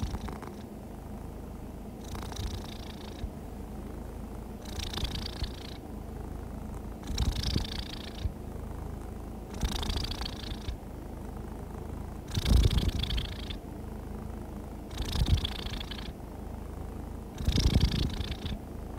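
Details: Relaxed, happy cat purring smoothly, a low vibrating hum rising into brighter, raspier bursts on a regular breath cycle near every two and a half seconds, seven cycles heard.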